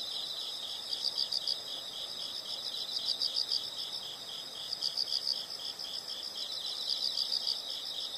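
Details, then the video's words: Insects heard as a soothing nature soundscape for study or sleep; a steady high pulsing chorus with clusters of brighter quick chirps recurring every couple of seconds, faint hiss beneath. "the sound of insects"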